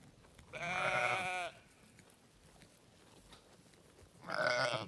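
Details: Sheep bleat on a farm: two loud, wavering baas, the second cut short at the end.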